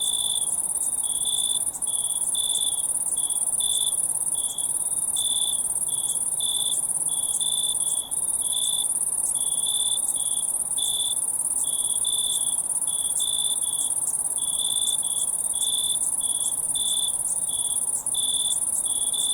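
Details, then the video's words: Crickets at night: a steady, shrill, very high trill runs without pause beneath short, clipped chirps, repeated at an uneven pace roughly once a second. No other sounds break through the dense insect chorus. "crickets in the night sound effect"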